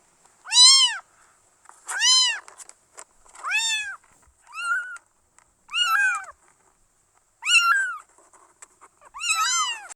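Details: Kittens meowing: seven short, high, arched mews spaced about every one to one and a half seconds, each rising then falling, in a quiet indoor setting.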